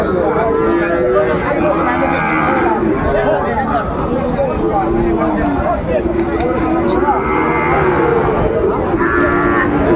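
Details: Cattle market in Kushtia, Bangladesh, on 13 February 2025, where Sahiwal bull calves are sold: several cattle low over one another in long, wavering moos, with a steady bed of crowd chatter and men's voices haggling over prices.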